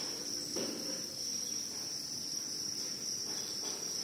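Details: Crickets, said to be white females, keep up an unbroken high-pitched trill, with a brief soft rustle near the start and another toward the end.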